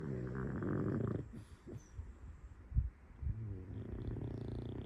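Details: A full-breed male pug gives a deep, throaty snore, each breath a buzzy, low rattle. Two drawn-out snores bracket a short stretch of softer snuffling and a faint click.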